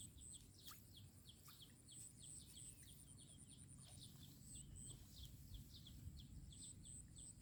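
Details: Frogs calling in a rice field as a storm moves in and rain approaches; a rapid run of short, sharp downward chirps repeats almost without pause, over a steady high insect whine and a low rumble of wind.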